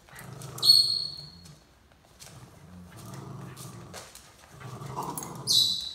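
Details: Welsh Terrier growling while pulling another dog along for a ride; three low rumbling growls of about a second or more each, separated by short pauses, with sharp high squeaky sounds near the start and end.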